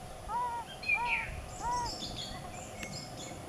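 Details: Three soft, rounded notes from yellow-bellied toads in the mating season, about half a second apart, over faint hiss and distant high chirping.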